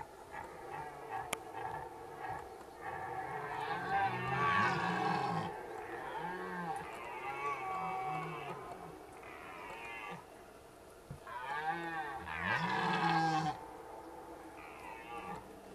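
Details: Rutting red deer at Zvārde, heard at a distance: series of hoarse, arching bellows grouped in two main bouts, harmonically rich and wavering, with a lull midway and constant low background noise.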